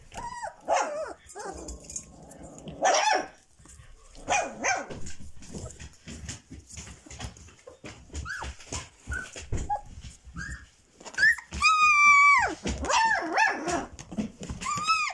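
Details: Whining Dobermann puppy aged 22 days: scattered short squeaks and yelps, then a long, clear, sustained whine rising and falling near the end, with quieter rustling noises between cries.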